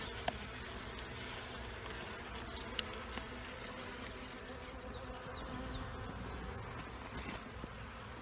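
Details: Honeybee colony under a trailer in Panama City during removal, a soft continuous swarm drone with a gritty, even texture and occasional small ticks and knocks.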